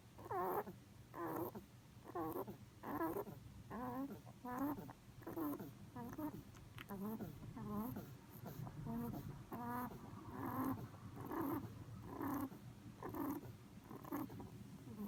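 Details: Miffy, a pet rabbit, sleeping deeply on his back indoors, snores in soft, regular puffs about once every second, each a short, wavering, breathy burst, steady throughout with a low hum underneath.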